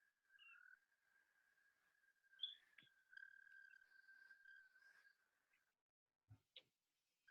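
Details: An Eastern American Toad gives a long, steady, musical trill that holds one pitch for several seconds.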